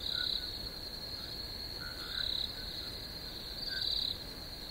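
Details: Crickets chirp in a constant shrill high trill, with three louder pulsed bursts at the start, middle and end, and faint lower calls behind.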